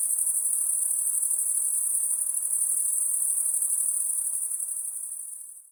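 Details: At night, an insect gives a shrill, very high continuous buzz with rapid pulsing, steady for several seconds before fading away at the end.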